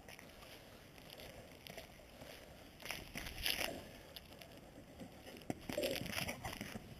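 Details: Quiet background hiss with scattered crackles, clicks and soft rustling bursts, and no clear animal call.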